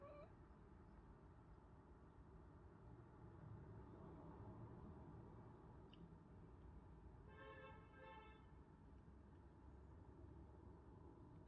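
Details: Domestic cat from the pair Fox, a ginger male, and Pippa, a tortie female, giving odd sounds: two brief harmonic chirps in quick succession about halfway through, otherwise a quiet room with constant low rumble.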